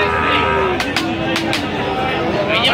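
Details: Sahiwal bull calves at Aftabganj cattle market, Dinajpur, Bangladesh, on 30 September 2025, as trading opens: a long, steady, low moo holding its pitch throughout, with sharp clicks and knocks and market voices behind.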